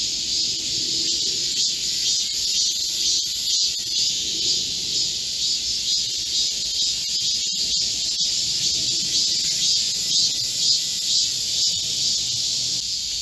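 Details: Many Korean cicadas singing together in a green midsummer forest during a heatwave on 25 July 2024, a constant shrill hiss-like drone with slight pulsing, loud throughout.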